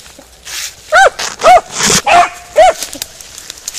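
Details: A Beagle Harrier in a ploughed field, yelping four times in quick succession, each bark short and ringing, about half a second apart, over soft outdoor noise.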